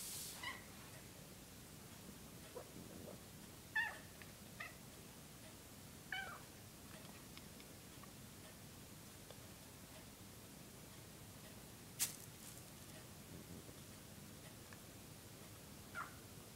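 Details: Female pet cat indoors making short, high squeaky chirps, about six brief calls scattered over sixteen seconds with quiet pauses between, and a faint room hiss in the background.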